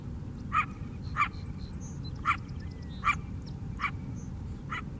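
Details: Wild coyote barking beside the lake on Chicago's south side, in the city. Six short, sharp barks come at uneven gaps of roughly a second over five seconds, against a steady low rumble of background noise.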